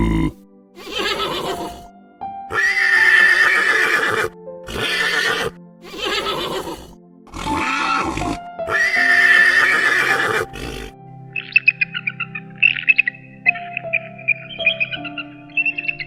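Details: Horse neighing in a series of loud, harsh whinnies, each a second or two long with short gaps, repeated over about eleven seconds, followed by a stretch of music with high tones.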